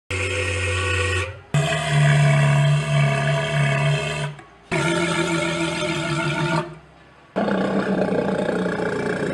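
Sea lion giving deep, harsh, drawn-out roaring calls in several bursts.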